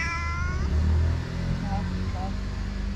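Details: A domestic cat described as sometimes very friendly and sometimes very aggressive gives a short falling meow with clear harmonics near the start, over low rumbling background noise, then faint brief chirps; a person calls to it.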